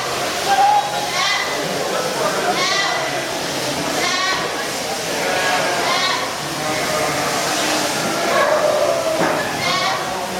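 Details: Boer goats giving a mating call: a run of wavering, nasal bleats repeated every second or so, some rising and falling in pitch, with people's voices and a noisy farm background throughout.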